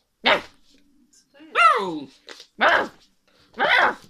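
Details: An Alaskan Malamute puppy 'talks' indoors in a series of short, whining, yodel-like vocal bursts.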